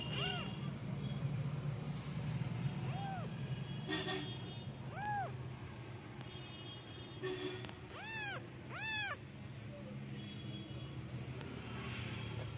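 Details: Street cats in a small village in North Africa, where the weather is warm most of the year: a series of about six high, arched meows rising and falling, spaced unevenly over twelve seconds, against a steady low rumble of traffic.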